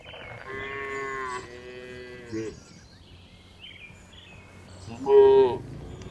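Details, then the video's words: Tame farm cows being herded back to the barn in the afternoon. Two overlapping mid-pitched moos are followed by a pause, then a short, louder, higher moo near the end. Faint rural background. "Funny Cow Sounds"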